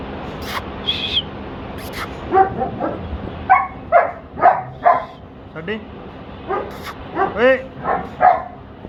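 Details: German Shepherd puppies at a pet shop in Patiala, Punjab, barking and yipping in a lively run of short, rising yelps, some whining, about two per second, mixed with people talking and a constant background hum.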